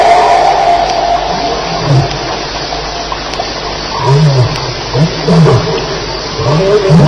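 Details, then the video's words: Lions fighting at night at Elephant Plains, recorded at 2:11am on July 9, 2010: low growling roars and snarls rise and fall in repeated bursts, with a steady higher background hum throughout. "Lions Fighting - Sounds at Elephant Plains"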